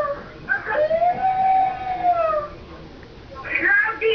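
A dog lets out a long howl that rises, holds steady, then slides back down.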